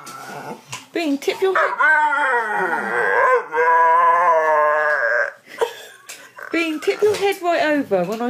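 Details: Domestic dog making its 'talking' noise, a sustained, warbling, howl-like moan that bends up and down over several seconds, with brief yips and human speech around it.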